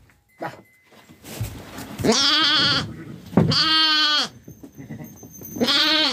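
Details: Farm sheep kept with lambs and Kangal dogs, bleating three times in long, quavering, nasal cries of roughly a second each, with faint background rustling before the first call.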